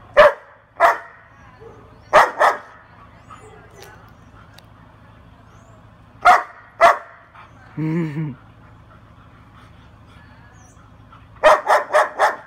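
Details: Female German Shepherd puppy barking: sharp single and paired barks with long pauses, a short human voice in the middle, then a quick run of four barks at the end.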